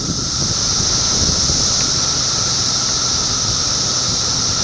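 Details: Cicadas massed in Middlesex County, New Jersey, in June 2013, producing a continuous high, shimmering drone with a fainter steady lower tone beneath, unbroken throughout, over a soft low rumble of wind or distant traffic.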